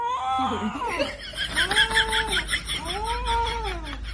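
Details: Angry cat giving drawn-out harmonic yowls: a short wavering cry, then two long, arched wails of about a second each, rising then falling in pitch, over steady low background noise.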